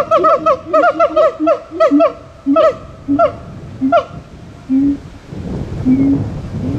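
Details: Singing siamangs: a quick run of ringing, harmonically rich whoops that slows and thins out, interspersed with short low booming notes, ending in low hooting tones.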